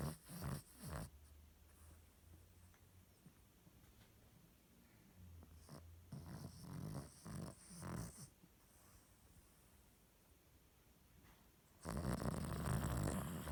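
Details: Sleeping Cavalier King Charles Spaniel giving low, buzzing snores, a couple at the start and a rhythmic run of four snorts midway, separated by quiet breathing, before a loud rustling noise takes over at the end.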